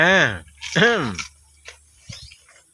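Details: Goat eating leaves in a village pen, giving two short arched bleats that rise then fall in pitch, about half a second apart, followed by soft scattered knocks and a low steady hum.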